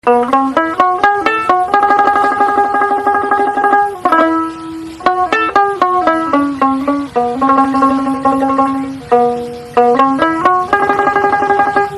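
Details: Bright plucked banjo-like music plays a repeating melody throughout, with no other sounds.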